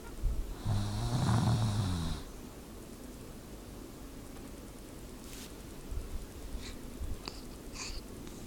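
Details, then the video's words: Dog snoring: one long, low rumbling snore with a wheezy, hissing upper edge lasting about a second and a half, then quiet room tone with a few faint clicks and small rustles. "Snoring dog"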